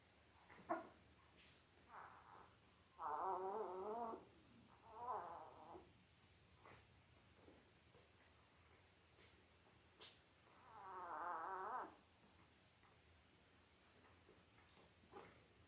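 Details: Newborn Labrador Retriever pups, five days old, five males and three females from mother Belle, born October 15, 2023: drawn-out wavering whines, one after another, plus a longer rising-and-falling cry later, with light rustles between.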